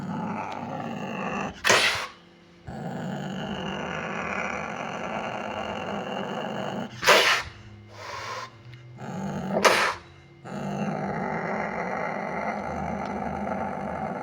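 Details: Sumatran leopard cat, called kucing kuwuk, growling in a continuous rough rumble broken by three sharp explosive hissing spits at roughly two, seven and ten seconds.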